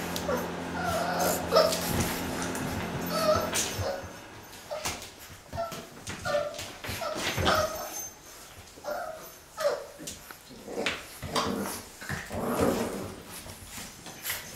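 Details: Six-week-old Boxer puppies from a litter at play, giving irregular high yips and short whimpers amid scuffling and thumping, several pups calling at once in quick uneven bursts.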